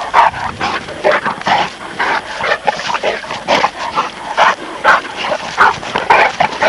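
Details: Presa Canario and Neapolitan Mastiff pups at play, giving a steady stream of short, rough yips and growly barks, roughly two per second, uneven in loudness, with whining edges between bursts.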